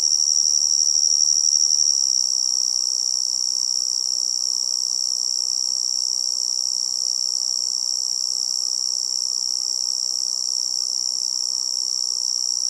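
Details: Tree cricket calling from forest insects, a steady unbroken high-pitched trill held at one pitch throughout, with a soft low hiss of background noise underneath and no other animals.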